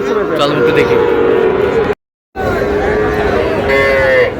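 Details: Sahiwal breed bull calves mooing at a cattle market where a Pabna farmer buys stock. A level, humming moo is cut by a brief silence, then lowing resumes amid people talking.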